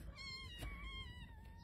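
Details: Newborn domestic kitten, eyes just opening, at a wildlife rehabilitator's in Los Angeles, gives a drawn-out, high, slightly falling meow while stuck under its mother, who comes to the rescue.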